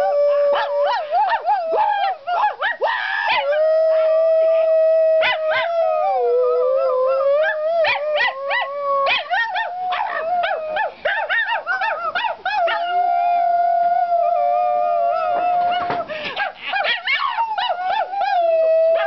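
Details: Sheeba the dog and a woman howl together: long held tonal notes that dip and rise, interrupted repeatedly by clusters of sharp yips and wavering cries, the duet continuing without pause.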